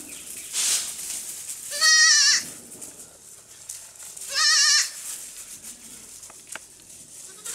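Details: Baby goats playing and jumping on a farm; two loud, quavering, high bleats about two and a half seconds apart, each lasting roughly half a second, with quiet rustling between them.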